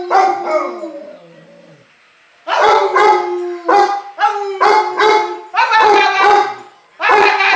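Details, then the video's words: Bubba Moose, a pet dog, vocalises during voice lessons. A drawn-out, sliding howl fades away, then choppy, yelping howl-barks come in rapid bursts. A human voice can be heard faintly in the background. "Bubba Moose's voice lessons part 2"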